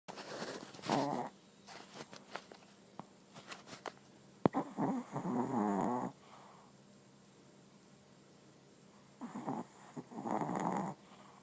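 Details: Papillon dog snoring while asleep: a series of raspy, rattling breaths comes in irregular bursts, with a long grating snore in the middle and two more near the end, separated by quiet soft breathing.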